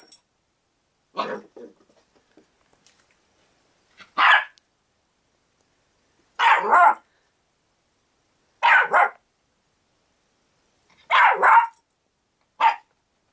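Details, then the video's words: Havanese-poodle puppy, six months old, barks during play with a house cat named Maple; short harsh yaps, some doubled, coming every one to two seconds in an uneven rhythm against a quiet indoor background. "Havapoo and the Cat Take 2"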